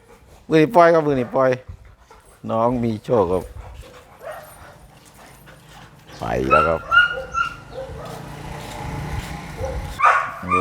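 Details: Mother red-nose Pit Bull with her puppies: a run of sharp, bent yelps early on, a pair more near three seconds, then a long loud cry around six seconds trailing into thin high whines, people talking throughout.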